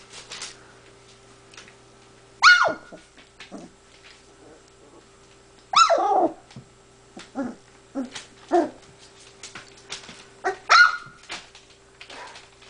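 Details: Puppies at play with Spartacus, a big pale dog, giving loud barks: three strong bursts near two and a half, six and eleven seconds, with shorter yips and whimpers between, indoors with a faint hum.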